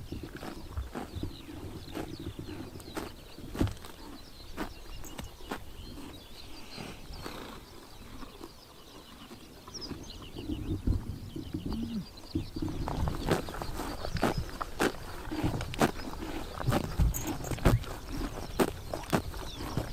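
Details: Mongolian horses in Tuv province crop grass on a summer morning: loud tearing bites and crunching, sparse at first, then denser and louder in the second half.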